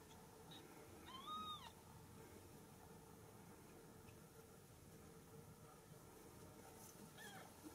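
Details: Home-raised Ragdoll kittens at a cattery in central Kansas, kept without cages; a clear, thin, arched mew early on, then a fainter second mew near the end, over a low indoor background hum.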